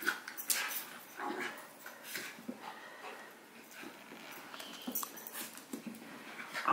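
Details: Howie, a six-month-old Havanese puppy, plays with Remy, a miniature schnauzer, recorded with a Sony a6000; brief high yelps and rustling bursts come in quick irregular clusters over about seven seconds.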